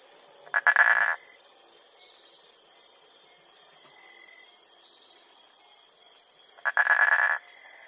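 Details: Frog giving two short bursts of rapid, pulsed, rattling croaks about six seconds apart, with a steady high insect whine running throughout.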